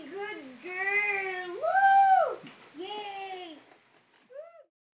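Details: Pet French Bulldog singing along to a harmonica: long, wavering, tonal howls that rise and fall, with a high arched middle note and a short yelping note at the end. Indoors.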